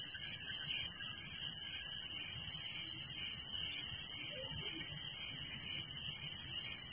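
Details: Crickets at night in a village, a dense unbroken chorus of high, shrill pulsing chirps layered in several bands, steady throughout with no other clear sounds.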